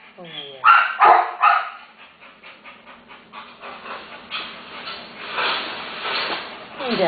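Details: Terrier mother with her one-day-old puppies, a family awaiting rescue: a few loud, harmonic dog barks cluster in the first second and a half, then softer rapid repeated yips follow, with a woman talking gently over them.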